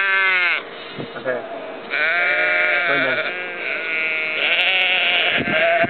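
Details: Sheep and lambs in Ullapool in April 2009, giving loud, quavering bleats in three long bouts, each about a second long, with short quiet gaps between them.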